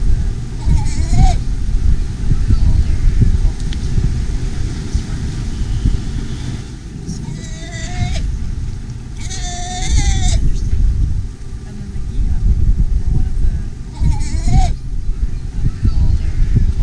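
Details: Young Galapagos sea lions on a beach and in tide pools of the Galapagos Islands call for their absent mothers to bring milk: four hoarse, bleating wails, some rising then dipping, spaced over the steady rumble of breaking waves.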